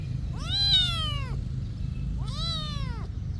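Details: Two clear, drawn-out meows from a monastery cat, each an arched, harmonic-rich cry about a second long separated by a short pause, over faint low background noise.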